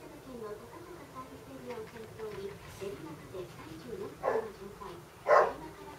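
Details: Basset Hound named HAL, indoors during a playful battle with Keime, gives two loud short barks near the end, after a stretch of quiet voices and low murmuring in a small room.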